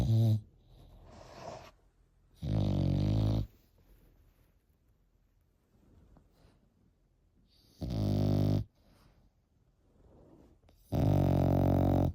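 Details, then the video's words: An 8-month-old Frenchie puppy snores in a small room, heavy low grating snores lasting about a second each, separated by several seconds of soft raspy breathing. "8 months old Frenchie |Snoring"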